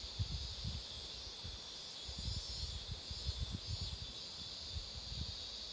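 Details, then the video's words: Roadside cicada chorus near blooming marigolds, a continuous shrill buzzing that holds level throughout, with repeated low gusty bumps of wind beneath it. "매미소리도 들어 보세요"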